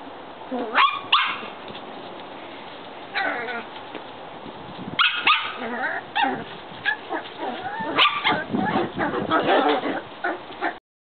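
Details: Shetland Sheepdog puppies playing outside give scattered sharp high yips and short barks in irregular bursts, with a steady background hiss.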